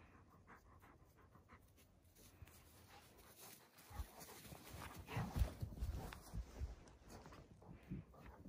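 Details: Central Asian Shepherd Dog (Alabai) puppies at morning exercise on 3 February 2021, some snow on the ground in a warm winter; quiet start, then rapid, uneven breathy panting bursts from about four seconds on, low and rough.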